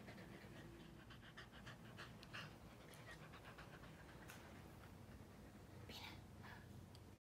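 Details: A corgi puppy pants in rapid, breathy bursts after destroying his giant stuffed teddy bear, over a low, steady rumble of background noise.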